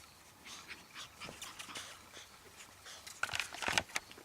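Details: Tassie puppies outside for the first time ever, giving a brief cluster of high, thin squeaking whimpers near the end, after soft rustling and shuffling sounds, with a person nearby quietly praising them.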